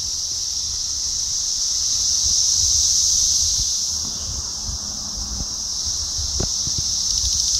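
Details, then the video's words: Cicadas in Rockville, Maryland: a loud, unbroken high-pitched buzzing drone that swells slightly around the third second, with faint low thumps and rustling beneath. "Cicadas in Rockville Maryland"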